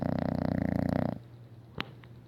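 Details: A loud English Bulldog named Isabelle snoring: a single harsh, rattling snore lasting over a second, then a quiet low breath and a faint click.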